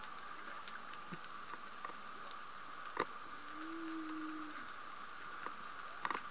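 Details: Humpback whales sing underwater off Sokodo Coast, Hachijojima, Japan, on 22 February 2020 around midday, on a sunny day with 19°C water. A pod was nearby and its song was loud: a low, drawn-out moan that rises slightly, holds, then fades.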